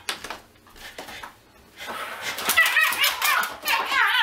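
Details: Pug barking and biting at a weighing scale it hates, indoors; a quiet, scrappy start with scuffling gives way to loud, rasping, strained barks and growly yelps over the last half.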